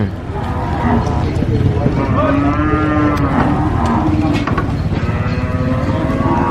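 A young goat screams in long, loud, nasal bleats that waver in pitch and run almost without pause.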